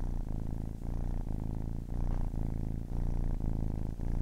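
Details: Ten-week-old kitten purring up close, a loud, deep rumbling drone broken into phases by brief breath pauses roughly every half second, rich low harmonics.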